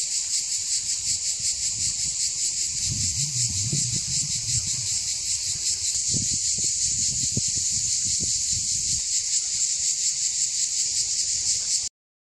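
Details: Cicadas on Mont Saint Martin, a hill at Cap d'Agde, France, around 13:05 on 24 June 2015, sing a loud, steady, high, shrill buzz that carries on unbroken throughout.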